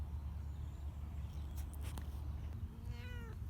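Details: Domestic cat, male, outdoors on a leash for one of his first walks, moving carefully in improving weather; one short descending harmonic meow near the end, after a few soft clicks, over steady low rumbling background noise.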